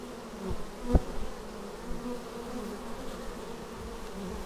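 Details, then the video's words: Low, continuous buzzing of bees landing at the hive entrance, recorded with a Xiaomi Yi action camera; one loud close pass early on stands out from the even hum. "Bees arriving at hive"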